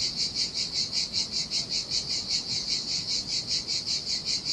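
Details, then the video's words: Cicadas by the sea in Sardinia, singing in the heat on a deserted beach; an intense, shrill, rhythmic buzz throbbing about two and a half times per second, with gentle surf rumbling underneath. "Ocean Waves & Cicada Sounds - The Most Relaxing Waves Ever - Cicadas by the Sea"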